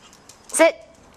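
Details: A single sharp yelp from one of the super tiny micro teacup poodles, originally from Alabama and now kept in Hong Kong, in a playful frenzy; brief and bright, with a thin tone trailing off.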